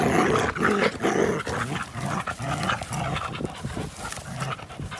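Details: Two dogs, an American Pit Bull Terrier and a Belgian Malinois cross, at play outdoors on April 21, 2019; rough, rhythmic panting with low grumbling growls and scuffling bursts, breaths coming roughly twice a second.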